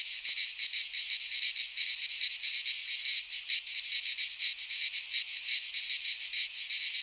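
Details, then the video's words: Greek cicadas in midsummer pine woods give a loud, high, buzzing chorus with clear rhythmic throbbing several times per second, steady for the whole stretch. "Cicadas singing in midsummer - Nature sounds from the Greek fauna - Sounds of cicadas"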